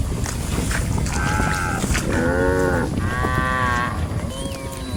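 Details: Cattle roaming and grazing as a herd in a rice field, giving a run of harmonic moos, several short overlapping calls in quick succession, some rising and falling, over steady low rumbling field noise.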